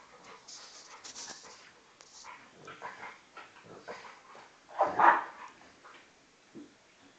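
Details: An Old English Bulldog pup weighing 10 kg play fights with a 40 kg male Bullmastiff cross; soft rapid grumbles and panting build to a sharp, loud whining yelp, then a short low grunt.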